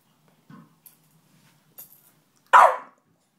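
Faint snuffles and small clicks come first from the Staffordshire Bull Terrier. Then it lets out a single loud, rough bark that cuts off quickly.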